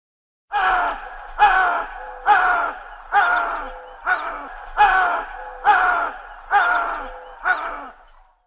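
A chital gives loud, harsh, groaning calls, repeated roughly once a second.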